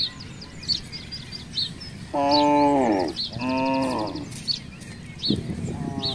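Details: A herd of roaming village cattle in a housing area: two loud, sustained moos back to back, the first dropping in pitch at its close, then a shorter low call, amid busy bird chirps and outdoor hum.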